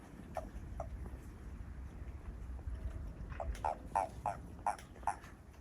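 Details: Toads behind a house, growing lively, give short low croaking pulses, scattered at first, then a quicker run of five or six in the last two seconds over a steady low background hum.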